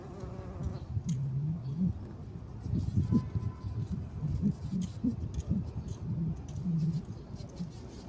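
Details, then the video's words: Bumblebee on poppies: a deep, fluttering wing drone rising and falling in pitch over eight seconds, louder bursts as it shifts between flowers, light background rustle. "маки и шмель"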